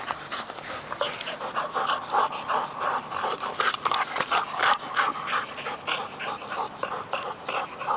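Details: Heavy, fast panting from two dogs at play, a ten-month-old Working Mastiff named Nobi and an eight-year-old bull terrier named Tasha, tussling over a stick; steady breathy huffs come close together and grow louder midway.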